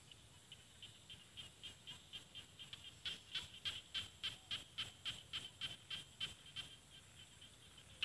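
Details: Rice field frogs calling from paddies in Thailand's Isan region, with mountains beyond. Faint scattered clicks build into a loud, regular burst of high ticking notes, roughly four each second, then trail off to quiet background calls.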